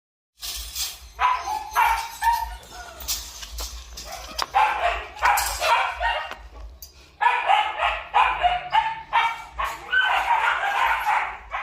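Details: Purebred Malinois, a Belgian shepherd dog from a breeding kennel in Vietnam, gives loud broadband barks in bursts, some in quick runs, with pauses between groups; a brief quieter gap near the middle before barking resumes.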